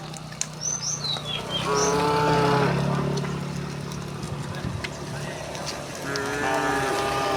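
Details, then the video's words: Cows of a herd walking home through a village, giving two drawn-out moos over a steady low engine-like hum, with a few bird chirps early on. "the sound of cows mooing"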